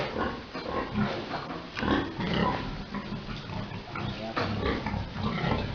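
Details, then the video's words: A boar and sow mating on a pig farm: low, dense grunting and rustling throughout, with a few short squeaky notes and no clear pauses. "Pig Mating 🐷 Big Boar mating SOW"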